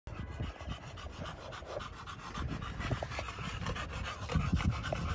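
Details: Pocket American Bully, male, from a kennel in Romania, panting in quick rapid breaths about three per second, soft and breathy with low rumbling handling noise underneath.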